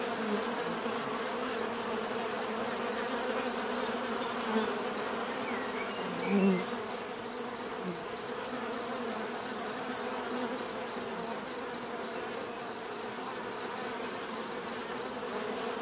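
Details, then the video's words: A long stretch of natural bee buzzing, a thick, even hum of many insects; around the middle a single bee flies close, its drone briefly rising in loudness, then the steady swarm sound continues unchanged. "bees therapy relaxing natural buzzing sound"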